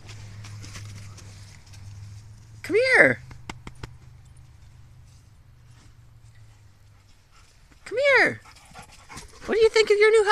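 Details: Dog at a dog park being shown a new house, giving two loud rising-then-falling whining yelps a few seconds apart, with a low steady hum beneath and a woman's voice near the end.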